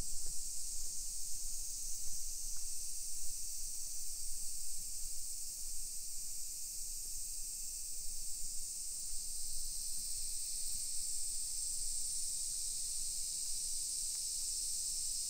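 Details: Cicadas of a Japanese summer, recorded at 1 PM on 28 July 2021 in a hillside residential area of Nisshin, Aichi Prefecture. A bright, steady high drone persists for the full length, backed by muffled low footsteps and ambient rumble.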